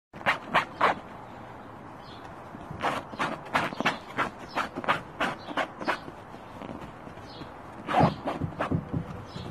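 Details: Pomchi, a Pomeranian Chihuahua mix dog, barking in quick sharp yaps, several bursts of three or four with short pauses between, over a faint background hum.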